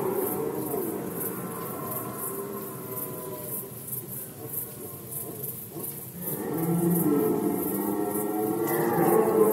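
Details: A red deer in rut season, Poland 2020, gives a rough, drawn-out roar after a quieter stretch, its moaning tone climbing and falling toward the end, backed by faint steady hiss.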